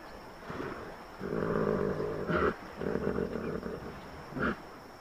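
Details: A hippopotamus gives deep, throaty, rumbling calls in two long bursts, snarling and puffing out its chest, agitated and voicing displeasure at a nearby elephant.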